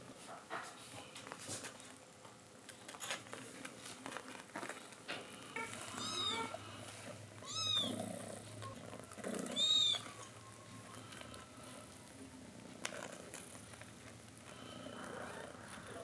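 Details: Domestic cat family, a mother cat calling her kittens to drink milk; high thin kitten mews rise and fall around six, eight and ten seconds over low purring and soft rustling indoors.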